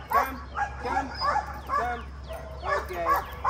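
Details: Rottweiler named Bruno in a dog-training setting, giving a run of short, harmonic barks about every half second, some slightly rising or falling, over a steady low hum.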